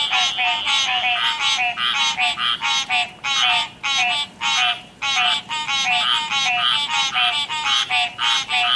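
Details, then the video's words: River frogs in a real chorus, croaking in rapid, raspy, buzzy notes that overlap and stutter, with brief uneven gaps between bursts. "Croaking frogs"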